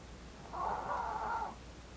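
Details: One drawn-out nasal snore lasting about a second from Blue, a female Maltese born 4 August 2018, slightly wavering in pitch, with only faint hiss around it.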